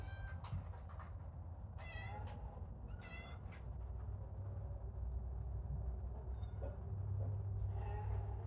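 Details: Playing kittens mew repeatedly: a quick run of thin cries near the start, then two stronger arched meows a little over a second apart, with shuffling play noises and a low background drone.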